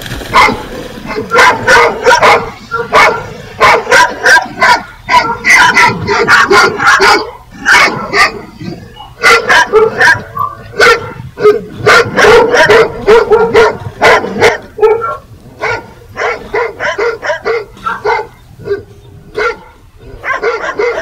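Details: Steady volleys of loud dog barks from a bark compilation, rapid repeated woofs running almost nonstop, with brief gaps around the middle and a slightly quieter tail.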